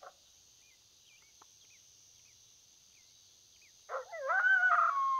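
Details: Coyote calling during a predator hunt: after near silence, a sudden wavering, harmonic howl rises and bends through high, nasal tones for just over a second, ending the clip.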